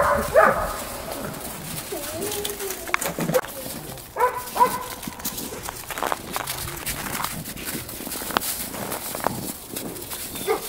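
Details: Eight-week-old Belgian Malinois puppies playing in snow: scattered short yelps and growly puppy noises, loudest near the start and around four seconds, amid constant crunching and clicking scuffles.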